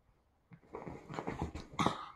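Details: A female rescue dog in Boston rolling around on the bed before bedtime, acting goofy, makes a brief series of breathy grumbling sounds ending in a louder snort-like burst, indoors in a small room.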